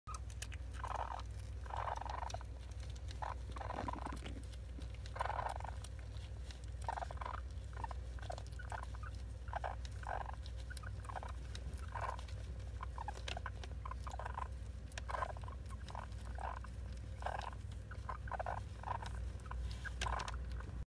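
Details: A baby masked palm civet, rescued a month and a half earlier, plays with a stuffed horse toy, giving short, rough growling bursts roughly every second over a steady low hum; the owner wonders whether it is purring.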